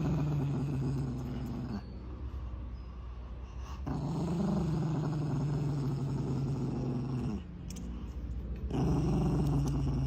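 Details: Angry Chihuahua growling steadily and low, a continuous rumbling snarl that pauses briefly around two and four seconds and again near eight seconds before resuming at full strength.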